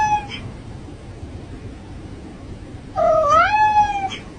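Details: A domestic cat's strange call: one clear, whiny cry that climbs in pitch, then holds and fades. A faint tail of an earlier cry is heard at the start.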